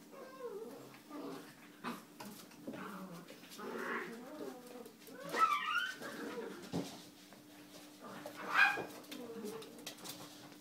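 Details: A male liver-and-white English Springer Spaniel gives high, wavering whines and soft whimpers, with a person speaking nearby.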